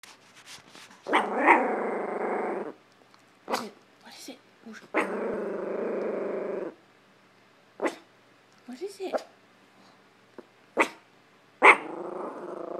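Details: Pet Chihuahua in a living room, barking at a hamper of clothes: long rumbling growls of about one and a half seconds each, separated by short sharp barks and snaps, with quiet pauses between outbursts.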